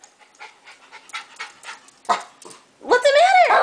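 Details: Pet dog indoors, kept in while someone cleans a room, throwing a tantrum because it heard people outside and wants to go out: soft breathy pulses, then a loud drawn-out whining howl that rises and wavers at the end.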